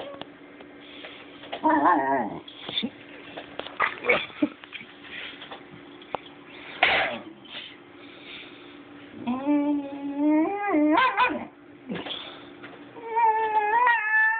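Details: Basenji puppy, a dog that rarely barks, making strange vocal noises indoors: several short warbling, wavering yodels with rising and falling pitch, separated by quieter gaps, with a person speaking briefly at the start.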